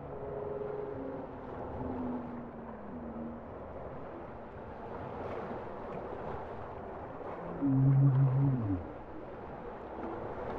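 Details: Bowhead whale singing underwater, with wavering mid-pitched tones at first, quieter drifting notes, then a loud, deep, buzzy moan near the end, all over a constant watery hiss.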